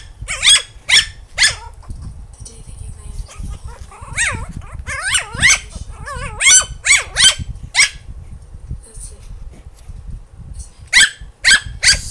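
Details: Eight-week-old female Maltipoo puppy barking in frustration at treats she cannot reach: rapid, high, shrill yaps, some bending up and down in pitch, coming in clustered bursts over twelve seconds, with people talking and laughing nearby.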